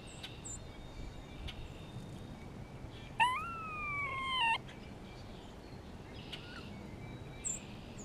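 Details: Spring recording of a grey squirrel responding to a nearby hawk: a single nasal, harmonic cry lasting about a second and a half, rising at the start and then held steady, against quiet outdoor background with faint distant chirps.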